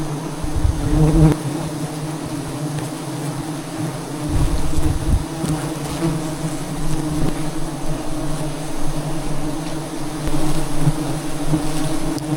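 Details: Wild bees at a hive in a Cambodian forest during a traditional honey harvest up a tall tree, making a steady, low, droning buzz that never stops, with light wind rumble underneath.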